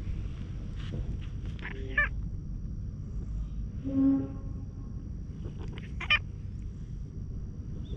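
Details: Stray cat with a rough, hoarse voice walking up to be tapped on the lower back, GoPro HERO8 recording; two short meows about four seconds apart, with a low steady tone and handling noises between them.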